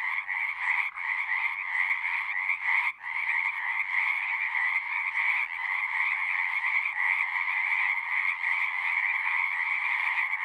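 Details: A dense frog chorus at a pond in a horse pasture, recorded with a Zoom: unbroken, loud, buzzy trilling from many callers, with one brief dip near the start.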